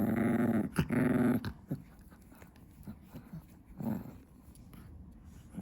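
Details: Small female Chihuahua indoors at 2 AM, fixated on chewing her favourite stick. Two short, buzzy low growls open the recording, followed by faint gnawing and softer grumbles in a quiet room.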